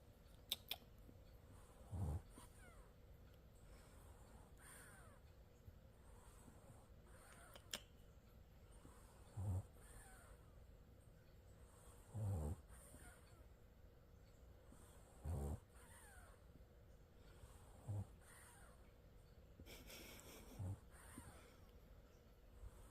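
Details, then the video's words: A French Bulldog sleeping with its eyes open snores softly: short, low, grunting snorts recur about every two to three seconds over a faint, steady background hiss. "프렌치불독이라면 코골이 기본장착 + 눈뜨고 자기"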